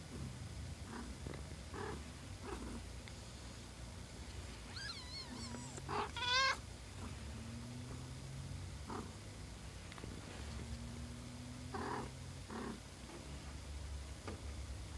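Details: Day-old kittens with their mother, the cat Peach: a wavering high mew followed by a louder, sharper one mid-clip, over a low purr-like drone and scattered soft clicks.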